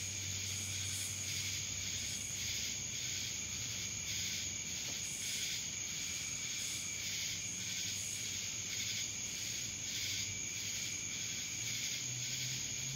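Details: Dallas, Georgia cicadas filling the air with a steady hissing buzz, pulsing softly in waves, accompanied by a sustained high-pitched whine and a low background rumble.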